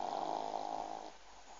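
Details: A pug snoring indoors, one rough, breathy snore lasting about a second, then it fades into quiet room hiss.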